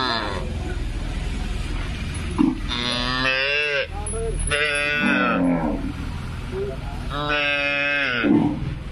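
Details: A Punganur calf mooing three times, each a drawn-out, nasal, harmonic call lasting about a second, spaced roughly two seconds apart, over constant background noise.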